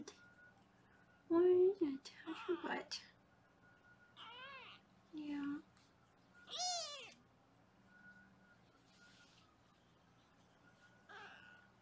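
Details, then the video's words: Kittens in foster care in Los Angeles, weighed indoors: loud, quavering meows rising and falling, interleaved with a woman talking, over low steady background hum. "Foster Mom Sarah Weighs the Kittens"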